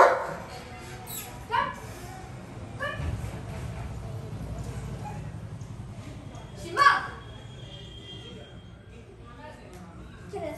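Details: Long-coated German Shepherd named Shimba playing with his best buddies; a handful of short, sharp barks scattered through the recording, the loudest burst near the seven-second mark, over a steady background murmur of people talking.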